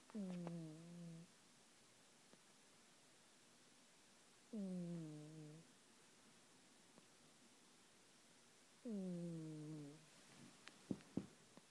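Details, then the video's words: Matilda, a pet cat, snoring: three tonal, droning snores about a second long, each starting with a slight downward glide and holding a low steady pitch, repeating roughly every four seconds in a quiet indoor room. "Matilda snoring"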